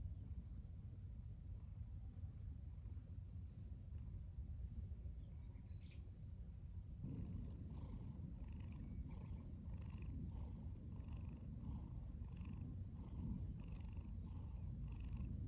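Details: Stray tabby cat, wary at first and then affectionate, purring outdoors. After a quiet start, steady rhythmic pulses of throaty purring begin about halfway through and repeat roughly twice a second over a low continuous rumble.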